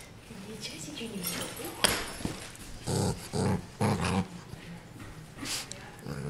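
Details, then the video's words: Pet dog growling while guarding a new toy indoors, wanting nobody near it; low rumbling growls in bursts around three to four seconds, with human voices and handling noises throughout. "Angry dog attacks toy"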